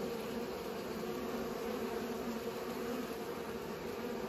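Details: Bees pollinating flowers: a steady, dense buzzing hum with a low droning tone and a stronger overtone above it, unbroken and even in loudness throughout, with no other clear sounds.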